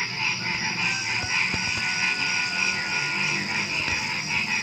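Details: Nighttime frog chorus before dawn: many overlapping rapid croaks pulsing continuously, backed by a constant shrill insect drone and a few soft low knocks.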